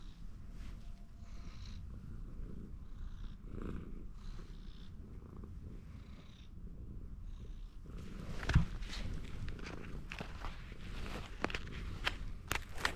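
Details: Ginger tabby atop a fence, seeking more petting, keeps up a soft low purr; the second half grows noisier with rustling, brushing and a few sharp taps.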